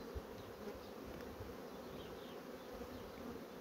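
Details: Honey bee colonies drawing comb on foundation sheets give a constant low buzzing drone, broken by a few faint soft chirps and light knocks.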